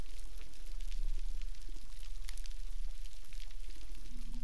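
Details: Dense underwater crackling and hiss on a coral reef in the Gardens of the Queen, south of Cuba, over a steady low rumble.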